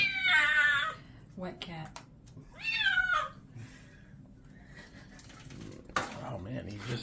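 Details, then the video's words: Wet male kitten, Creamsicle Kitty, protesting during a bath indoors: two loud, strained meows that slide downward, one at the start and one a few seconds later, with a person's soothing talk and splashing and rustling between them. "Little Creamsicle Kitten gets a bath."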